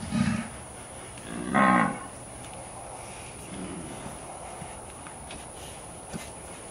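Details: Brahman cattle being penned and worked on a ranch; two short loud bellowing moos close together at the start, followed by quiet background with faint low lowing.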